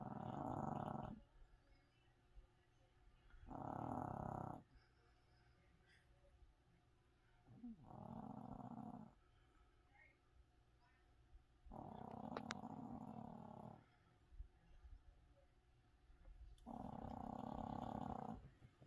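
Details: Loud snoring from a small sleeping Chihuahua. Five rough, buzzing snore bursts of one to two seconds each come at fairly steady intervals, separated by near silence.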